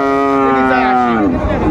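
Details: Friesian or cross-breed bull calf at Ambari cattle market, Dinajpur, on 19 April 2024: one sustained, steady, tonal moo that slides downward at its end. Faint market chatter underneath.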